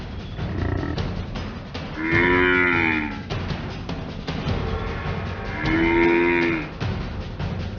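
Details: Wounded African buffalo calf, bitten on the leg by a hyena and refusing to give up, gives two drawn-out, moaning bellows about three seconds apart, each rising then falling, over a steady rumbling background and faint music.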